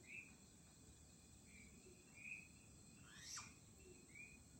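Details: A flying squirrel in Chunghsing New Village, Nantou, Taiwan, on 1 April 2018, gives short, high chirps about once a second over a steady insect drone.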